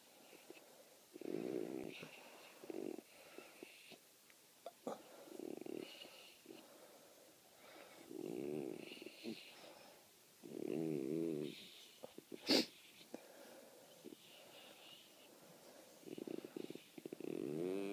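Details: Great Dane puppy named Tabitha, a rescued female, asleep and hogging the bed while being petted; raspy, rhythmic snores rise and fall every couple of seconds, each a rough low wheezing breath, with one sharp click near the end.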